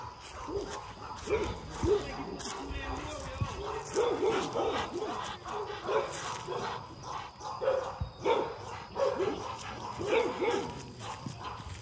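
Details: Rottweilers at MillCoop Rottweiler Kennels barking in short, repeated bursts through the whole stretch. A man's voice keeps calling out commands over the dogs.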